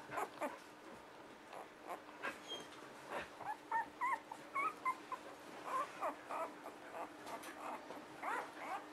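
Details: Squeaks and thin whimpers from six-day-old puppies tumble out in quick irregular bursts, brightest and most tonal in the middle stretch, with a constant low hum behind.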